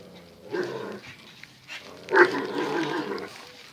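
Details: Two dogs locked in a fierce everyday scuffle: a short low snarl, a pause, then a louder, longer rough growl.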